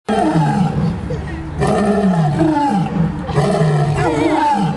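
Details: Two lions give three loud, deep, drawn-out roars, each a rough, groaning bellow with a wavering pitch.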